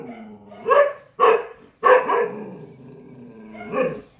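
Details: Barking from a Chippiparai dog confronting monkeys: three quick, loud, sharp barks within about a second, a raspy drawn-out follow-on, then one more bark near the end over low growling.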